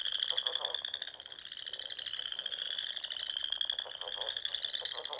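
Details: Many frogs call together in spring at dusk in the rolling Sandhills of Nebraska, their high trilling drone unbroken, with intermittent lower pulsed croaks rising and fading.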